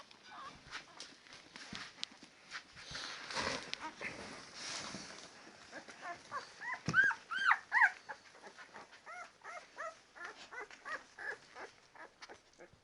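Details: Ten-day-old Labrador Retriever puppies, a litter squealing: rustling handling noise early, then a run of rapid arched high whimpers, loudest around the middle, continuing in quicker softer pulses.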